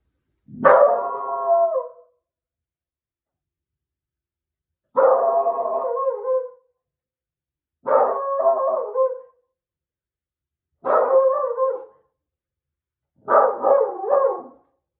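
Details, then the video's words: Beagle howling in reaction to the doorbell: five loud, drawn-out wavering bays, each about one and a half seconds long, separated by pauses of two to three seconds, in an otherwise quiet room. "BEAGLE DOORBELL"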